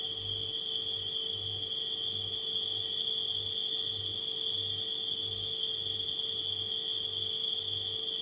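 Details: Nighttime crickets blended with a refrigerator's steady hum: a continuous high, shrill trill holds without break, over a low electrical drone and soft low throbbing pulses recurring about every half second.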